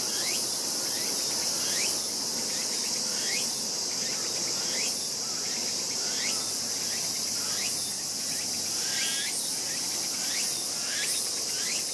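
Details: Young raccoon dog 輝夢, one of this year's litter, has its tail bitten by sibling 大夢, 14 August 2012; repeated brief rising whines, roughly one every one to two seconds, over a continuous shrill insect chorus.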